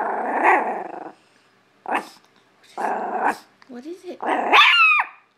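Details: Small Chihuahua barking at a clothes hamper in a living room: two one-second growls alternate with short sharp barks, finishing in a shrill rising yip.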